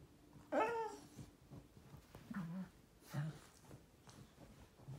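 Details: Shiba Inu dog communicating: one sharp, whiny yelp with strong overtones, then two short, low grumbling grunts about a second apart.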